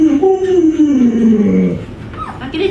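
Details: Pet Alaskan Malamute Luoluo, trying to wake a late-sleeping owner, gives a drawn-out wavering moan that slides gradually downward, with a person talking softly over it.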